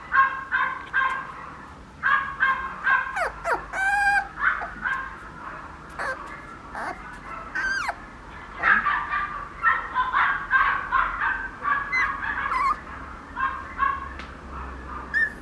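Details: Papillon puppy: a long series of short, high, nasal yelps and squeaks in quick bursts, some rising sharply, with brief pauses between groups.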